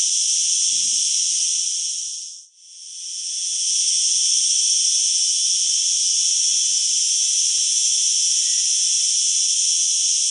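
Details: A cicada, a flying insect usually heard in trees, sings a loud, powerful, steady high buzzing drone that carries on almost without a break.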